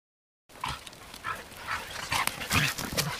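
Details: Dogs Arija and Nallo at play with nine-week-old puppies in an exercise yard: a rapid run of short, high yips and barks, roughly two per second, with scuffling noise between them.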